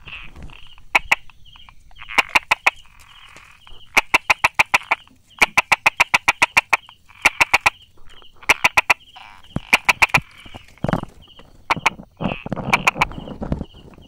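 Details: Hidden by rock crevices and grass, a Brauer's tree frog on 22 July 2016 at 10:44 taps out rapid 'da-da-da' runs of four to eight sharp clicks, burst after burst, with a steady high pulsed buzz in the background.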